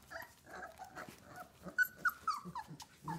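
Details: Old English Sheepdog puppies from a 2018 litter give high, thin whines and short yelps, a few sliding up and down, scattered over a soft background murmur.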